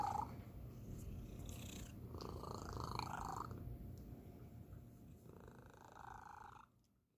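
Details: Pet cat, the youngest in the household, giving an unusual, special purr indoors: a soft, steady low rumble throughout, with brief higher tonal sounds rising over it midway and again near the end before it fades out.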